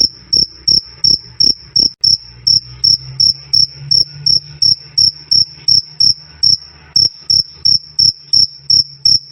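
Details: Loud, clean "krik krik" of a cricket, recorded for training cage birds: shrill metallic chirps repeated nearly three times a second, slightly uneven spacing, over a light low droning hum.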